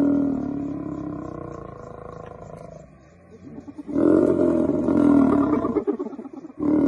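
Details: Wild lion fighting off about twenty hyenas: rough, sustained harmonic roars and growls, fading briefly in the middle before a louder, pulsing bout of snarling calls returns, ending with another strong roar.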